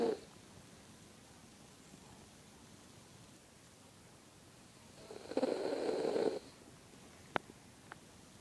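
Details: Dreaming dog in a quiet room, letting out one drawn-out, wheezy snore midway, followed by a couple of faint clicks and a long hush of stillness.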